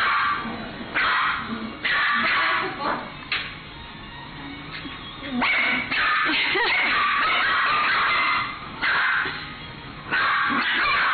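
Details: In an indoor dog run at a pet shop, a Chihuahua squabbling with a miniature dachshund gives clustered bursts of sharp, high-pitched, thin yappy barks with brief pauses between them.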